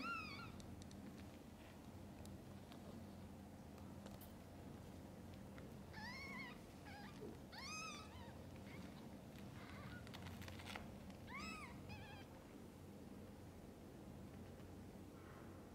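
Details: Mother cat and newborn kittens before their eyes open. Scattered thin, bending mews sound in short clusters, several overlapping around the middle, with soft rustling and low room noise between them.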